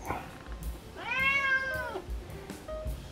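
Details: Solo, a male domestic cat kept indoors, loudly demanding to go out and play with raccoons feeding outside: one long drawn-out meow, rising then slowly falling, over soft background music and faint thumps.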